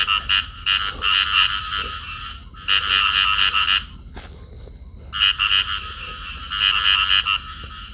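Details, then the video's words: Calling field frogs, a pair locked in amplexus. Three bouts of rapid, harsh croaks, each bout several notes long. Silent gaps of roughly a second or more fall between bouts, with faint clicks and hum underneath. "cặp nhái đồng ôm nhau kêu"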